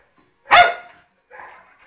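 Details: One of two pet poodles, Jayme the larger female and Lendonn the smaller male, a married pair, gives a single sharp bark, followed by a fainter, softer sound a moment later.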